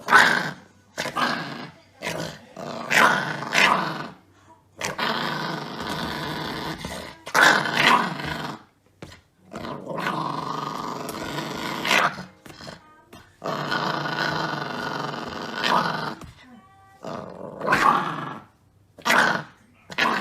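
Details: Chihuahua puppy playing roughly and biting, looking fierce: long runs of harsh, raspy growling alternating with short snarly bursts and sharp clicks, in a small indoor room.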